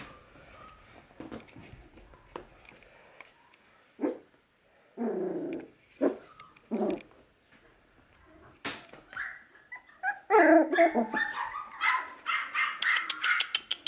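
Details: Two playful young Wire Fox Terrier brothers at a pet shop in Nara, Japan; scattered short barks and yips at first, then a denser run of high, excited yapping and whines toward the end, with some rustling and clattering.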